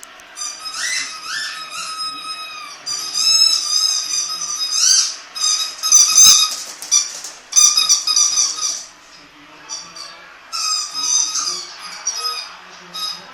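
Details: AJ, a Jack Russell Terrier, making its annoying sound: high, thin squealing whines in repeated bursts. Some rise and fall, some hold a steady pitch, with brief pauses between runs.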